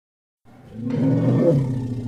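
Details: Elephant call that begins after a short silence, building quickly into a harsh, rough roar with a strong low rumble underneath, holding steady and loud to the end.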